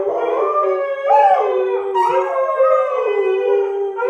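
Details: Siberian husky howling along with two English springer spaniels that provoked it, a pet trio: long wavering tonal howls with rich harmonics, overlapping voices sliding up and down for the whole stretch.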